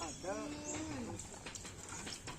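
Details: Racing cattle of the karapan sapi bull race, the Kalisari pair in training at Lap Asemanis. A single clear moo opens the recording, rich in harmonics and sliding gently downward over about a second, followed by background chatter and knocks.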